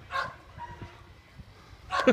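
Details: Gordon Setter puppy playing outdoors, more interested in other dogs than coming when called. Two short yipping barks about two seconds apart, with a person repeatedly calling it.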